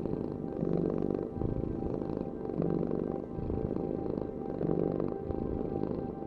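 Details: A cat purrs in rhythmic cycles, each inhale-exhale swell lasting roughly two seconds, the low rumble steady beneath a faint constant tone.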